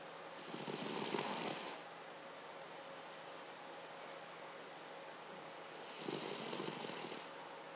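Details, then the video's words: Paca, a Cavalier King Charles Spaniel, snores in a quiet room: two rattling, fluttery breaths about five seconds apart, each a buzzy rasp with a breathy hiss, separated by near silence. "Cavalier King Charles Spaniel - Snore"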